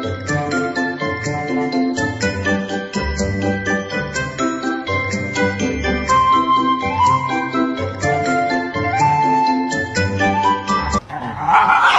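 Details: Jingly bell-laden festive music with chiming melody notes fills the clip, ending in a short burst of noise.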